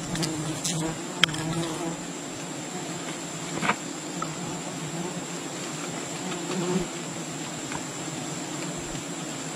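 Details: Wild bee colony disturbed during honey hunting: a steady low drone with layered harmonic bands, broken by scattered sharp clicks and taps and a thin high constant tone above.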